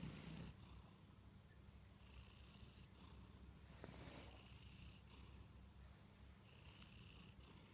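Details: Kantarou, a sleeping Munchkin cat, snores softly: hissing breaths recur about every one and a half to two seconds over a steady low rumble, with a brief faint click near the four-second mark.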